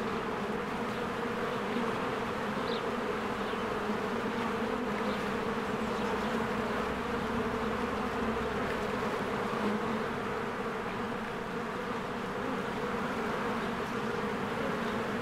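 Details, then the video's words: Honeybees in spring flying in and out of their hive among blooming flowers, a steady dense low buzzing hum from the swarm, continuous and even throughout, with a few faint high bird chirps above. "1 Hour of a Beehive ASMR"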